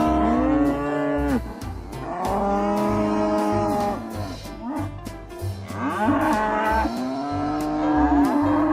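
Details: Ox calls: a series of drawn-out moos, several arching up then sliding down, one after another over steady background music with a bass line and beat.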